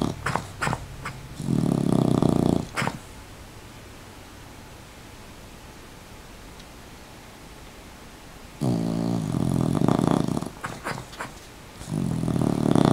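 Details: Dog named Rocket, wearing a sweater, asleep with eyes half open, snoring in loud raspy rumbling breaths lasting one to two seconds, separated by long quiet gaps, with a few faint clicks at the start.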